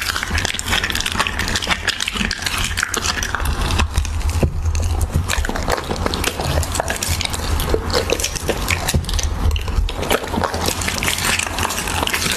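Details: Siberian Husky mukbang of raw beef: loud, busy crunching and squelching bites, with occasional slurps, repeated almost without pause over a low steady hum.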